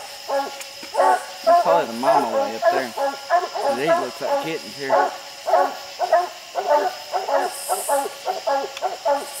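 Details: Several dogs barking treed raccoons up a steep, slick hillside at night; dense, overlapping chop barks with wavering bawled notes mixed in, while a low insect hum carries throughout.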